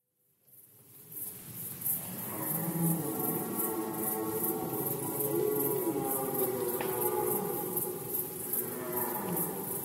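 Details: Red deer during the rut in Poland, 2020: a long, drawn-out roar with layered harmonic bands that rises gradually and holds for several seconds. Steady pulsing insect-like chirps continue high above throughout.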